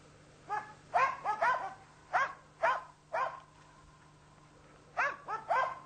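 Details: Karelian Bear Dog on a European brown bear hunt, giving loud, ringing barks in quick pairs and triplets about two a second, with short gaps between bursts and a faint low hum behind.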